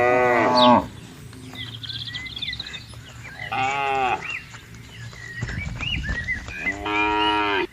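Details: Free-grazing cattle in a wide green plantation give three loud, harmonic-rich moos, one at the start and two more later, with bird chirps and whistles heard between them.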